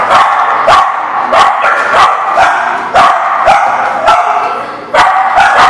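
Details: Dog barking: quick, loud, overlapping barks come in bursts about every half second to second and sit over a steady backdrop of more barking.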